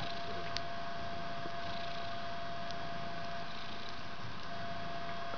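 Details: Fluffy white three-week-old kitten hugging and climbing on the head of its mother Ellis, indoors in a bedroom; a steady low rumbling purr runs throughout, over a constant faint hum with a few soft clicks.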